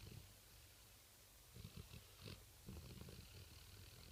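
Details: Rottweiler dog sleeping at night, snoring: low rumbling breaths in short bursts, a few louder snorts around the middle, faint background hum throughout.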